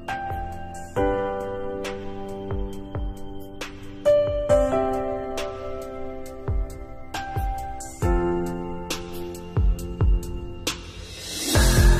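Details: Slow, gentle piano music with sustained chords and soft percussive hits, and no animal sounds.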